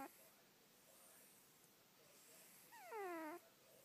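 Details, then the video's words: Sleeping, dreaming house cat snores with a single thin, falling, whistle-like squeak near the end, against near silence. "the snoring cat"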